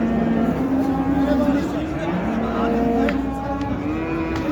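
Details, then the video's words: Water buffalo with its calf at the Şarkışla animal market: a long, steady, low moaning call drawn out for over four seconds, slightly wavering in pitch, over market chatter, passing vehicles and faint music. "Şarkışla Hayvan Pazarı Manda ve yavrusu"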